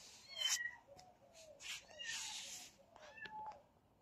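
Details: Kittens fighting, with short high mewing calls and squeaks, some rising and falling, scattered through the scuffle along with rustling and soft thumps.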